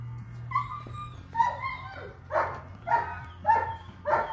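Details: Eight-week-old long-coated German Shepherd puppy with a liver sable coat, first a couple of squeaky whines, then sharp, high puppy barks repeated about every half second, with a constant low hum underneath.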